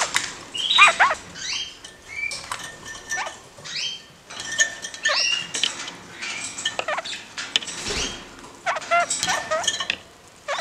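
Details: Two caged kakariki hopping and doing acrobatics: a busy run of short chirps and slurred rising notes, some in quick pairs, interleaved with scratching, clicking and tapping from the cage.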